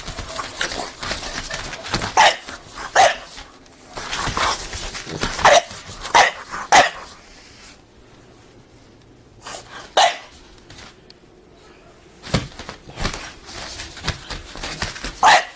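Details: Excited French Bulldog dancing in a doorway lets out a rapid run of short, high yapping barks, then falls quiet for several seconds before a few more sharp barks resume, with light scuffling underneath.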